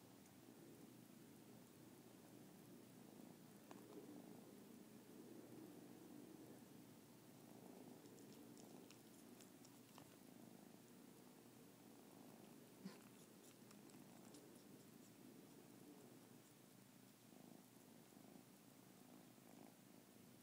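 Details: Kittens at close range, the big one sucking the ears of the little one; an unbroken low purr pulses rapidly and evenly, joined by occasional light clicks and a sharp tap near the middle.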